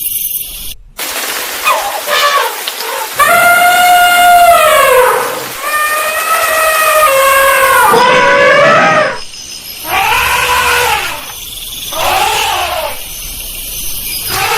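An elephant trumpets in loud, brassy blasts that swell, bend and fall, repeated several times.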